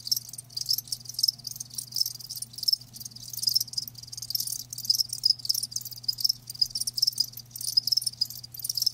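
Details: A chorus of live crickets: shrill, fast chirps pulsing unevenly and overlapping, moderately loud, with a faint low hum running beneath.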